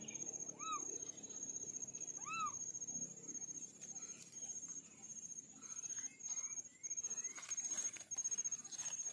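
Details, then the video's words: Orange-coated kittens from a litter of four, two short, arched meows rising and falling, about two seconds apart, followed by a few faint chirps under a constant high-pitched whine. "Kitten sound test"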